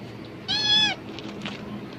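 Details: A cat stirred up by rustling plastic bags and seeming to expect food gives a single short, bright, level meow lasting about half a second, followed by quiet background noise.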